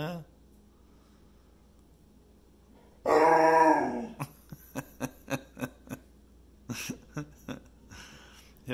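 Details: Zeusy the pit bull, a talkative pet dog at home, howls at his puppy brother asking him to play: one loud, drawn-out harmonic howl of about a second, then a rhythmic string of short grunting yips.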